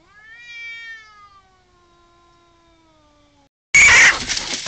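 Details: Pre-fight yowling from one of two neighbours' cats quarrelling in a garden: a clear rising-then-falling howl tapers into a long low moan, then a sudden loud, harsh screech as the scuffle erupts.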